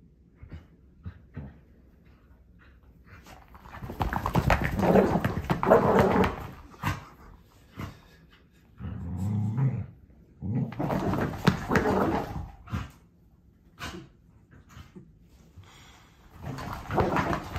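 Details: Demanding Scottish Terrier throwing a tantrum indoors while its owners are on holiday: bursts of rough, grumbling growls and whiny vocal noise with irregular scuffs and clicks, loud stretches alternating with quieter gaps.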